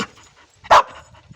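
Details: A Labrador Retriever called Ruby gives one short, punchy bark midway through, set against a quiet room hush with faint shuffling.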